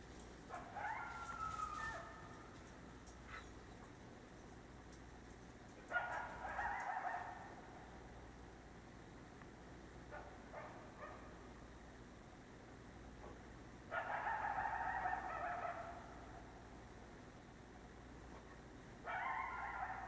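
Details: Wild coyote heard at night, calling to others in the pack: distant bursts of yips and wavering howls recurring every few seconds, separated by quiet stretches of low hiss.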